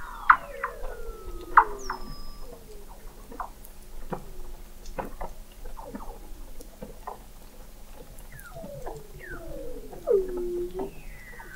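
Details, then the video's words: Antarctic Weddell seals calling beneath thick sea ice in McMurdo Sound, November 2017, from a hydrophone observatory 21 m down; many overlapping chirps and descending sweeps, sharp clicks and pulses, plus a long sliding whistle early on. "Song of the Antarctic Weddell Seal"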